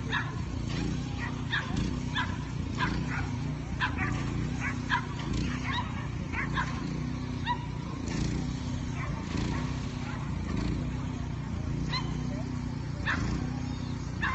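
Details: Henry, a Leonberger, at a lure coursing event: a run of deep, short barks repeated roughly every half second to second throughout, some sharper yips between, over a steady low motor hum with faint voices.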